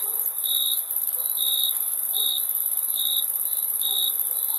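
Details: Chirping crickets give five clear, high, ringing chirps, spaced about one second apart, against a constant shrill hiss.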